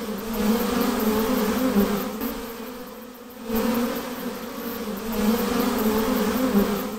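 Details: Dense buzzing from a swarm of honey bees as they are hived, a sustained low drone with pulsing loudness, one short dip near three seconds, then the full hum returns.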